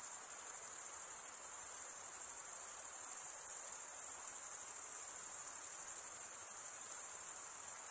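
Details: Crickets chirp by stridulation, males rubbing one wing over the toothed vein of the other; here an unbroken, very high, pulsing trill carries evenly throughout, nothing else audible.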